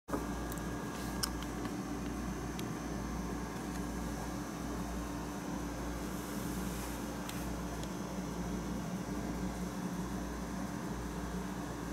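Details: A constant low hum of a fan or air conditioning runs throughout, with a faint electrical whine above it. No animal voice can be picked out.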